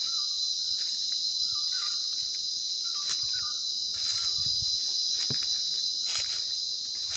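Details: Continuous shrill insect drone in Sinharaja rainforest, Sri Lanka, holding one high pitch throughout, with faint short chirps and small clicks beneath.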